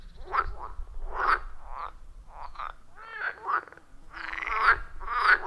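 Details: Frogs at a forest pond calling loudly in real time, captured with an iPhone 14 Pro and Shure MV88+; scattered raspy croaks and warbling bursts of uneven spacing, louder toward the end.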